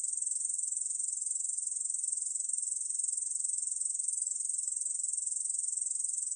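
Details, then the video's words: Korean bush cricket singing a steady, high, hissing buzz made of rapid even pulses, unbroken throughout, with no other sounds. "중베짱이, 여러번 듣기, 곤충소리"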